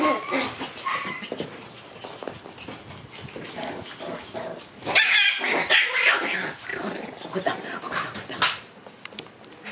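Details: Shiba Inu puppy siblings born on June 13 in a playful scuffle, with continuous harsh growling and snarly bursts, and a louder, brighter flurry about halfway through.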